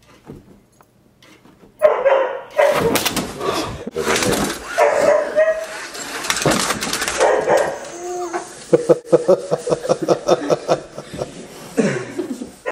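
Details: Dogs Red Dog and Zoo zoo playing indoors, chasing toy race cars; excited yappy barks and whines, ending in a fast run of rhythmic short barks, with people talking and laughing.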